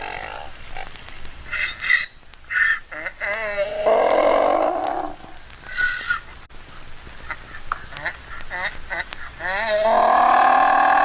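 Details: A donkey or mule brays in loud, harsh bursts, alternating wheezy high notes with deeper honking ones.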